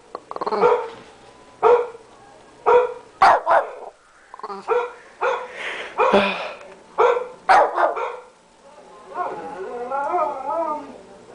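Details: Shih Tzu, a 13-pound dog, barking at a computer: sharp, high barks in short bursts, some doubled, with a person's voice at the end.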